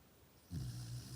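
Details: A Chow Chow puppy snores at night with a low, steady rumbling drone that starts abruptly after a quiet moment.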